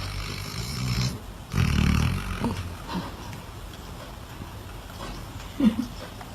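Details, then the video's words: Dog snoring: a loud, low rumbling snore around the second mark, then softer snorting breaths and a short nasal snort near the end, with faint background hiss. "Собака храпит"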